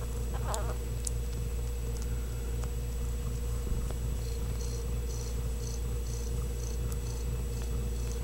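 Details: Ragdoll kitten raised in a home cattery in central Kansas, kept without cages, purring as a steady low rumble throughout, with faint clicks and a brief high squeak near the start.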